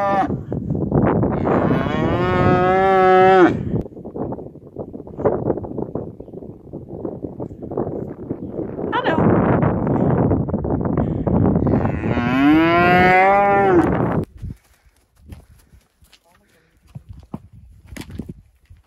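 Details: A cow in a field with Friesian horses, foals, yearlings and two-year-olds, lowing loudly: two long drawn-out moos, one early and one near the end, with rough blowing wind noise between them.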